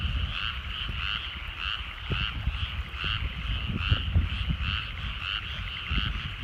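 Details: Sunset over countryside rice fields, many frogs croaking together in a rhythmic pulsed chorus that swells and eases, with low rumbling background noise.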